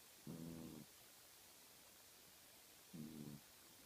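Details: House cat asleep and twitching, letting out two brief low rasping snores roughly two and a half seconds apart, with faint room hiss between them.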